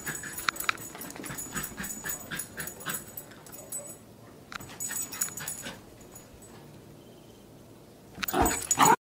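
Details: Dachshund excited while running with a new ball: quick bursts of high whiny yips and whimpers in rapid irregular series, with a pause midway and a louder scuffle at the end.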